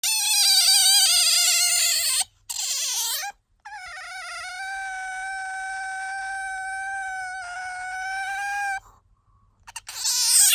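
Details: Bingo, a pet otter, squealing as it does when sleepy or wanting attention: long, loud, steady high-pitched whines with rich harmonics, broken by short gaps, the last one rising again at the end.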